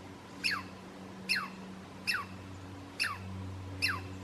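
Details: A Douglas squirrel (Tamiasciurus douglasii), on the hike to Stump Lake in Alice Lake Provincial Park, gives sharp, downward-sliding alarm chirps repeated a little under once per second.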